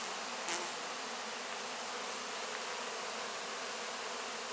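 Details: Honey bees cleaning up leftover wax cappings and licking up honey at the end of the 2024 honey harvest, close up; a dense, steady hum of many insects with one brief soft tap early on.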